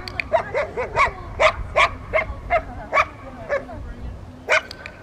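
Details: Dogs barking during Rottweiler obedience training with distraction at a club in Victoria, May 2, 2021; short, harmonic barks repeated about twice a second, some yappy and doubled, over a steady low hum.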